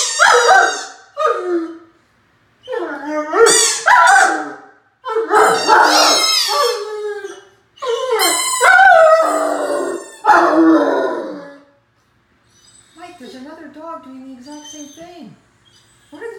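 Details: Nine-month-old Great Dane puppy Mikey howls at himself in the mirror during ball play indoors, giving a string of long, wavering, yodelling howls broken by brief gaps, then fading into softer, quieter whining phrases at the end.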